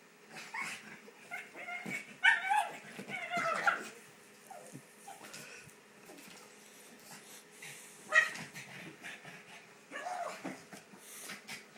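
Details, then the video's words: Pet pug named Baxter, indoors while house-sat, frantic over a ball toy: bursts of high yips, whimpers and short squeaky barks, loudest around the second and eighth seconds, with rustling and thumps from play between them. "Unbelievable pug going nuts"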